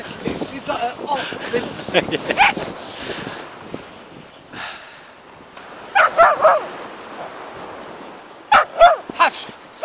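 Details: Whippets running with a Bedlington-whippet cross on Yarmouth beach; short yipping barks come in quick bursts early on, around the middle and near the end, with human voices between them.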